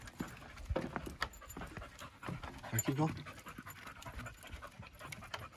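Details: Mulan, a yellow Labrador Retriever, panting while going up and down stairs at Quarry Rock near Vancouver; quick rough breaths with footfalls and a brief human voice in the middle.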